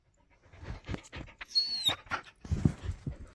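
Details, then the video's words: White Samoyed puppy booped on the nose, giving a tiny high, thin squeak that slides downward, surrounded by soft panting and snuffling breaths. "just a little samoyed boop and squeek!"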